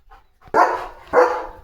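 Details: German Shepherd named Leo, a pet dog, during a day of command practice, two loud broad barks about half a second apart, each rising sharply and fading.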